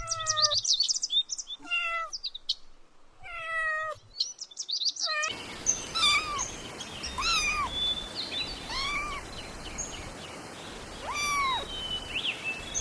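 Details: Kittens stalk and chase butterflies on grass; a kitten gives high, thin meows, each arching up and falling, repeated every second or two.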